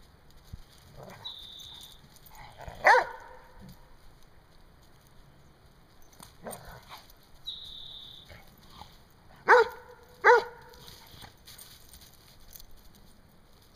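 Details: Rhodesian Ridgebacks playing by chest-butting; scattered sharp barks, a pair in quick succession near ten seconds, between soft scuffling and two brief high squeaks.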